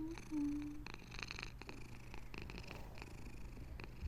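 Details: Pet cat purring steadily, a low vibrating rumble in regular breath-timed pulses, starting with a short faint squeaky tone, and a constant low hum underneath.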